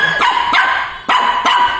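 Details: Little Shih Tzu in Chennai, afraid of a Batman toy bike, gives four sharp barks in under two seconds, two pairs of loud bright yaps separated by a short pause, with a quiet indoor background.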